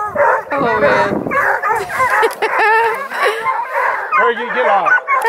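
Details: About two dozen scent hounds, Bluetick and Redbone Coonhounds, Black and Tans and beagle mixes, at a hound breeder's kennel near Kingston, Ontario, Canada. They bay, bark and bawl together in a dense, overlapping chorus of wavering howls and yelps. A person speaks briefly.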